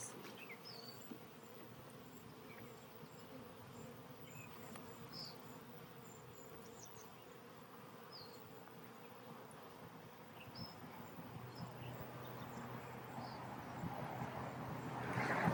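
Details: Honey bee colony from a hive split, re-queened with a caged new queen. A dense, even drone hums throughout and thickens into a louder, deeper tone in the final seconds. Faint high chirps are scattered over it.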